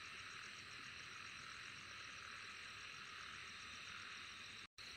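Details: Unbroken high, shimmering insect drone with a quickly pulsing trill layered on top, holding level until a brief total dropout of sound just before the end.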